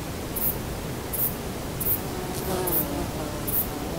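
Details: A male saddle-backed bush cricket sings short, very high, hissing chirps spaced under a second apart in a sunlit forest in Poland in September, with other individuals audible in the background.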